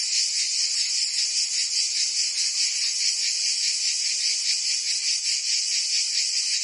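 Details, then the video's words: Many cicadas sing together in summer in southern France's Provence, producing a bright, sizzling buzz with a gentle rapid throb, steady and uninterrupted. "Cicadas singing in France (Provence)"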